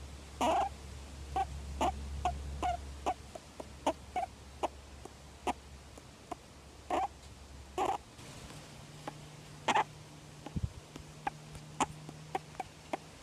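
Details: Jeddah, a juvenile male grey-headed flying fox in care and not releasable due to injuries, squeaks while being petted, tickled and scratched. Sharp, clicky squeaks come at uneven intervals over a low hum and a faint rustle.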